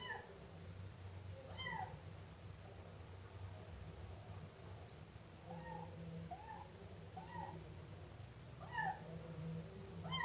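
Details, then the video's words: Siamese kitten crying repeatedly, roughly eight thin, arched meows at uneven intervals, some doubled in quick pairs, with a low continuous rumble running underneath throughout. "Efeito sonoro de gato miando filhote siamês"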